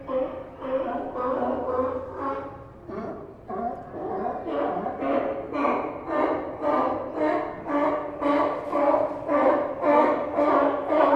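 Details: A chorus of sea lions resting along the Santa Cruz docks barks continuously, deep, echoing, rhythmic calls almost twice per second, rising in loudness toward the end over soft ambient pier sound.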